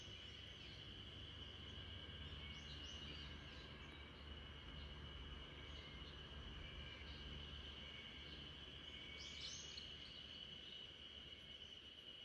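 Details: Backyard spring cicada chorus serving as a lullaby for the sleeping Great Pyrenees RunRun: an unbroken shrill drone, with brief chirps around two seconds and again near nine seconds, over a low rumbling background.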